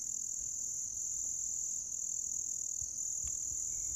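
A continuous, high-pitched insect trill holds steady throughout, thin and shimmering like crickets in long grass. A few faint clicks and soft low rumbles sit quietly beneath it.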